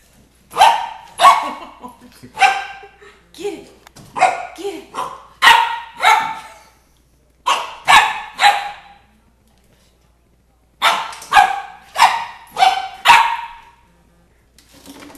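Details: Nine-week-old red Doberman Pinscher puppy meeting a 2-litre bottle, letting out sharp, high puppy barks in quick bursts of two to four, with a long quiet gap before a final run of yaps.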